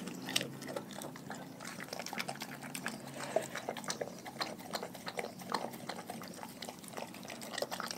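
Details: Dogs from a pack fed raw food, chewing steadily; continuous irregular crunches and moist smacking clicks throughout eight seconds, with occasional louder snaps over a faint background hum.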